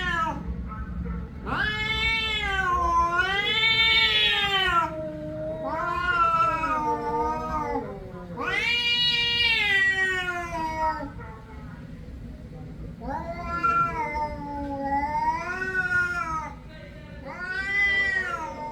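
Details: Cat caterwauling in a long series of wavering, yowling meows, each two to three seconds, pitch swooping up and down within calls, six main calls with brief breaks, low hum beneath.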